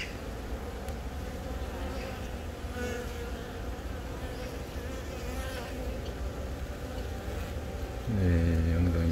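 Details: Honey bee colony filmed on April 20 in Baegam, Yongin, while a freshly emerged queen from a natural swarm wiggles and wanders looking to lay. A continuous low, even buzzing drone, then a louder voice-like tone enters near the end.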